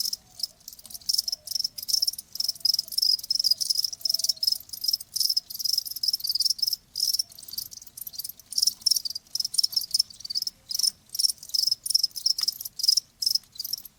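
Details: Cricket chirping offered as calming natural sound for tinnitus, a bright high-pitched trill broken into quick bursts with brief gaps, continuous over the whole stretch.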